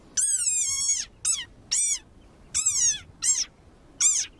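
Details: An angry desert rain frog gives a series of shrill, squeaky cries, described as its war cry, that sound like a squeezed dog toy.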